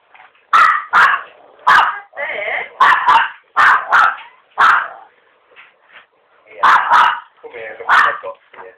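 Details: A pet Chihuahua yapping at a visitor indoors: sharp, high, clipped yaps in quick bursts of one to three, about a dozen in all, with brief quieter gaps and some human voices.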